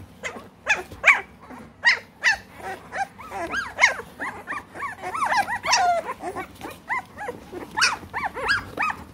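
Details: Three-week-old American Bully puppies in the United Kingdom, a litter calling together: overlapping high whines and yelps, rising and falling, dense and continuous with short squeaky cries throughout.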